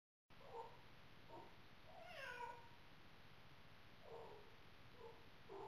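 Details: Chris, a pet cat, crying at night outside the bedroom door wanting in: a series of short meows, one longer rising-falling wail in the middle, then several brief clipped cries, over steady background hiss.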